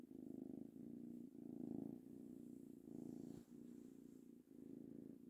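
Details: Three-month-old kitten Tango purring while being petted, a relaxed, low vibrating hum pulsing in alternating in-and-out breaths about every second, quiet indoor setting.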